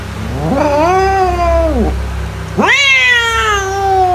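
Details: Two long domestic cat meows, the first rising then falling away, the second starting with a sharp upward sweep and trailing off slowly, over a low steady hum; used as a mouse-repelling sound.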